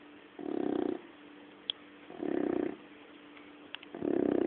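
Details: Sleeping puppy snores, with three low rasping snores each lasting about half a second, repeated roughly every one and a half seconds, with quiet breathing gaps and faint clicks between them.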